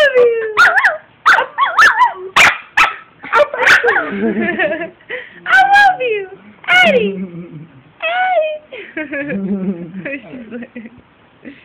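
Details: Two-year-old female Brussels Griffon reacting to high-pitched howls with excited yips, short falling whines and wavering howl notes, while human voices join in between the dog's bursts.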